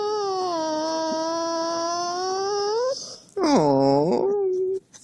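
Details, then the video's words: Husky whining to get its owner out of bed. A long, level, nasal howl holds steady for about three seconds and bends upward at the end. After a short gap comes a warbling, talking-like note that swoops down and back up. "Хаски в роли будильника"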